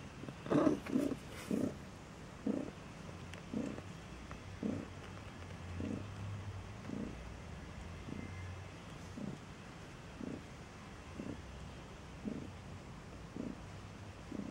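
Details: Low rhythmic pulses from a Maine Coon with newborn kittens, at a Saint Petersburg, Russia cattery, recur roughly once a second. A louder rustling burst opens the recording, then a steady muffled purr-like beat follows.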